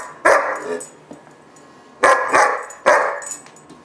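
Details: Gunner, a German Shepherd puppy about 4-5 months old, in a temper tantrum gives three loud, rough barks, the last two close together after a pause.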